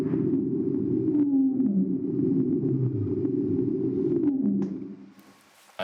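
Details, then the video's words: A blue whale, the largest animal on earth, gives a deep, drawn-out moan sliding slowly downward over a rumbling background. It is very low-frequency, below about 100 Hz, carries far and varies little; the recording is played back. "This one is Blue Whale Blue Whale. The largest animal on earth. Let’s take a look at what kind of sound it makes."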